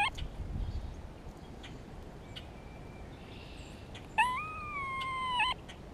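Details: In spring, a grey squirrel gives a few faint clicks, then one sustained, reedy, tonal moan lasting over a second with a slight upturn at the end. It makes this call in response to a hawk nearby, signalling to another squirrel.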